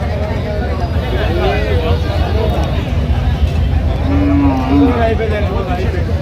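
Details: A cow at the Aftabganj cattle market on 6 September 2025. A low, drawn-out moo rises near the end over constant market bustle, traders bargaining over prices and crowd chatter.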